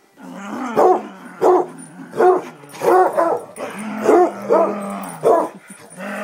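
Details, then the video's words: Two pet Basset Hounds in a burst of excitement: deep, hoarse barks and bays repeated roughly every half second to second, with a faint whine between them and a person speaking briefly. "Basset excitement"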